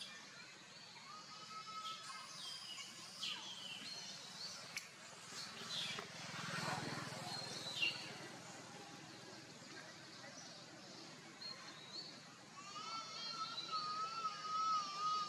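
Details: Young monkey called Leo crying for its mother's milk, giving drawn-out whimpering cries with a rich overtone stack. One cry comes early and a longer, rising and falling wail comes near the end, over a noisy outdoor background with a dull rumble midway.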